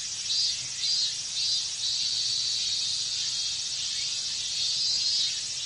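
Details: Cicadas calling together in Japanese summer heat, a bright unbroken high-pitched drone with loud swells about once a second, nothing else audible.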